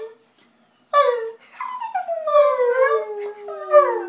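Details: Pet dog singing along to its owners with a long, drawn-out tuneful howl, starting high then sliding slowly downward with wavering pitch, ending in a short rising yelp, indoors.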